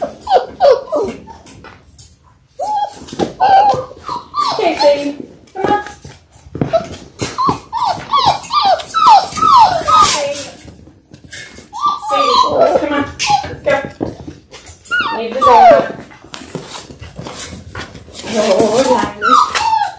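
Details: Litter of six Labrador Retriever puppies, born January 18, 2022, now six weeks old on a February 28 live puppy cam; rapid runs of squeaky whimpers and yips, sliding down in pitch, repeat throughout, with a person speaking over them.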